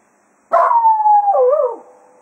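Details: Jack Russell Terrier Cato bidding the foxhounds farewell after a hunt at Quail Roost, giving one sustained howl that slides gently downward, wavers and drops off at the end.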